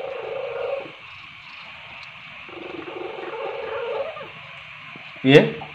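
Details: Paijo, an orange house cat known to purr while eating, sleeping and playing. Steady low purring continues for most of the clip, swelling and fading in waves, and ends with a brief louder sharp sound near the close.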